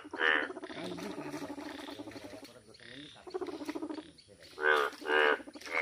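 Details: Yellow frog giving loud, rasping, harmonic croaks in short bursts, with a continuous chorus of lower pulsed croaking from other frogs between them.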